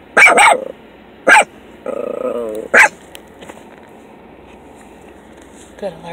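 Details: Young male Miniature Pinscher, fawn and tan, learning basic watch duty while riding in a car: three loud, abrupt barks about a second apart, broken up by a brief whine and Spanish speech nearby.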